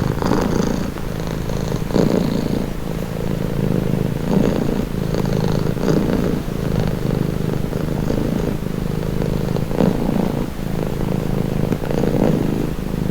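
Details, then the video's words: Relaxing purr from a pet cat: a low, grainy rumble that swells and fades in breath cycles of around one to two seconds, steady and continuous across the recording. "Purring cat"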